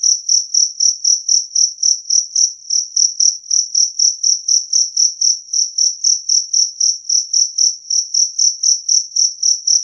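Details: Clear and loud two-spotted cricket chirping: evenly spaced, shrill high pulses repeating roughly four times a second throughout, over a silent background.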